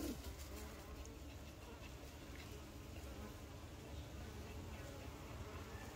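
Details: Honey bees at work, a constant low-pitched hum that holds level from start to finish, with soft flickering overtones above the main drone.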